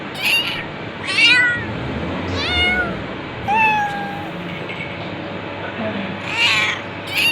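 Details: Domestic cat mewing insistently, roughly six meows in seven seconds, varied in length and pitch, some sharp and high, one long falling cry, against a faint background hum.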